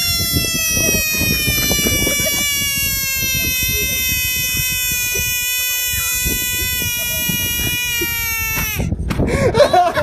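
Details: A bullfrog screaming, heard in full: one long, steady, nasal wail lasting about nine seconds, richly harmonic and sagging slightly in pitch toward the end, before breaking off into rustling and handling noise.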